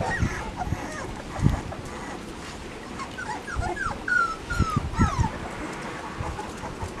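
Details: Labrador Retriever puppies with parents Max and Whitney, 10 September 2015, as feeding time comes; several drawn-out, falling whines around the middle, among softer squeaks, bumps and rustling.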